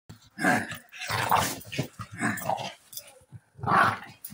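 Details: An American Staffordshire Terrier in New Zealand, getting feisty with its owner, gives rough, growly barks in several loud bursts.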